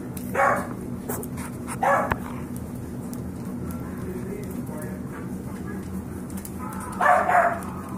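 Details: Yorkshire Terrier foster puppies, five weeks old, playing: three brief high-pitched yips spaced a couple of seconds apart, the last a quick double, against a constant low household hum.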